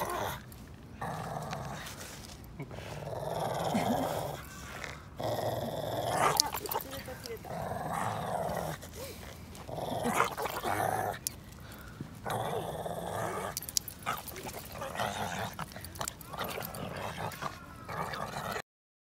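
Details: Shih Tzu Kuu-chan in a park, pulling at a found stick in tug-of-war play and chasing throws, gives rough, noisy growls in uneven bursts over about eighteen seconds, with people talking throughout.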